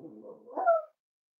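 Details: Cavalier King Charles Spaniel puppy indoors at a home raising emotional support animals: a short rough grumble that slides up into a brief tonal whine, then silence.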